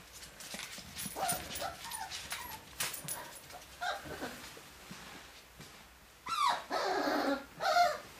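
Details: Dachshund puppies and a Lancashire Heeler puppy at play, giving scattered whimpers and short yips amid scuffling, then two louder drawn-out yelping cries near the end.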